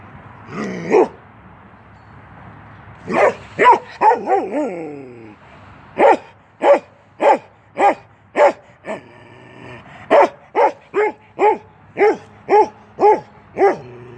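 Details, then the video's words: A 10-month-old male Norwegian Elkhound named Keweenaw barks while playing through a fence. Short, harmonic barks come in uneven bursts: a lone bark, a quick run with a rough growly edge, then steady barks about every half second. "Norwegian Elkhound playing."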